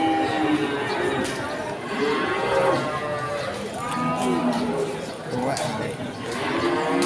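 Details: Cattle at the Pon cattle market in Ambarawa during Ramadan 2024, with several drawn-out, wavering lowing moos rising above a steady background of crowd chatter and livestock market noise.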